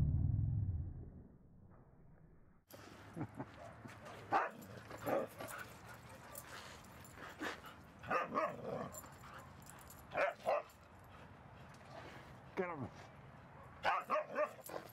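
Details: Two dogs, Rosy and Rocky, romping together at Seal Point Dog Park, Rosy chasing Rocky and trying to bite his tail; after a quiet, muffled opening of nearly three seconds, short sharp barks and yelps burst out irregularly over steady outdoor background noise.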